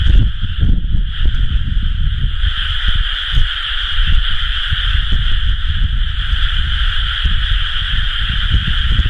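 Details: Rice-paddy frogs calling together during planting season, recorded 30 May 2011, with a steady, overlapping trill in two bands running through the whole stretch and loud low rumbling noise beneath.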